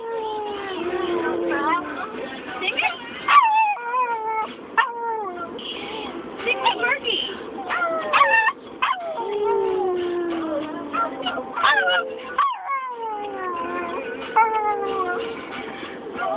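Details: Chihuahua 'singing' in a car: a run of high, wavering howls that slide downward in pitch, broken by short yelps and whimpers, continuing almost without pause.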